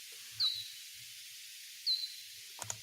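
Hoary bat echolocation slowed down: brief, sharply falling chirps spaced well over a second apart.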